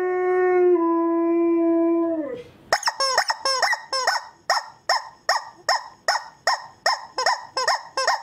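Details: Husky puppy sounds: a long, flat, sustained howl that dips slightly before breaking off, followed by a fast, regular series of sharp barks, about two to three per second.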